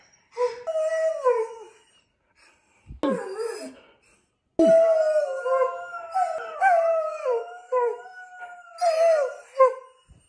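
A borzoi howls in long, wavering tones that rise and fall, with a few brief breaks.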